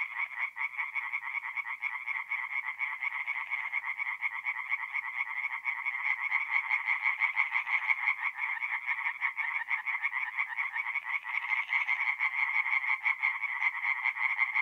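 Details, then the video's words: A night chorus of tree frogs at a forest pond in north-east Italy in mid-April: a continuous wall of rapid, clicking croaks, about three pulse bursts per second, swelling slightly halfway through. "relaxing forest pond by night with singing tree frogs"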